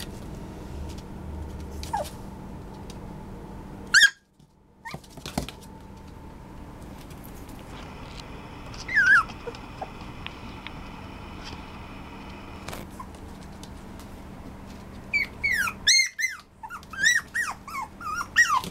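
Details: Maltipoo, a cross of Maltese and toy poodle, mostly quiet over steady indoor hum, with a few thin squeaks, then a rapid burst of high, wavering whimpers and squeals in the final seconds.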